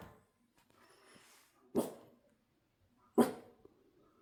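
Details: Male Shiba Inu barking in the early morning at 6 a.m.: two sharp, abrupt barks about one and a half seconds apart, with faint background noise between them.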